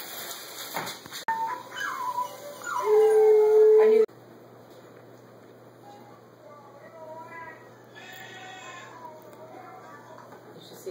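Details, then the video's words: Border Collie puppy, adult Border Collie and Alaskan Malamute howling and playing, recorded 3-15-13; gliding, wavering cries build into a loud, steady held howl, then fall to faint, quieter whines after a sudden cut. "Dogs and puppy howling"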